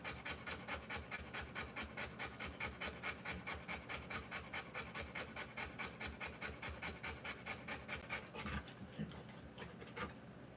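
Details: Rottweiler mother panting during the birth of her puppies, a regular, rasping, breathy rhythm of roughly two and a half breaths per second, with a soft rustle near the end.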